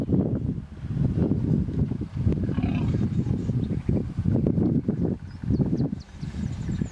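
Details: Hippos in a stand-off in the Vurhami River, Kruger National Park, South Africa, a female vehemently protecting her young from an approaching animal. Continuous deep, pulsing grunts and rumbles fill the clip, with brief bird chirps near the end.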